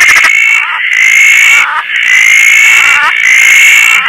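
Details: At night after rain in lush Koah, a Roth's tree frog sitting on a tarp calls loudly with long, high, nasal notes held steady before breaking off, back to back in a steady series, over a rain-like hiss.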